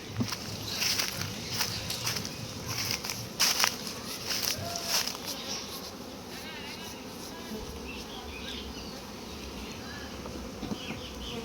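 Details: Many honey bees buzz around hives as litchi honey is collected from a bee farm: a dense, hissing drone crossed by sharp clicks and knocks in the first half, with faint chirps in the background.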